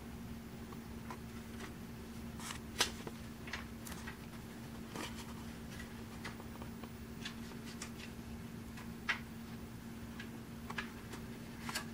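A steady low mechanical hum runs throughout, with scattered clicks and rustling handling noises and no animal voice.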